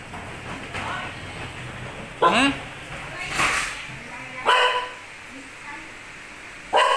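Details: Pet dog, nearly two years old, barking to call its owner to take out the trash; four short, sharp barks at uneven gaps over quiet indoor background, with faint human voices early on.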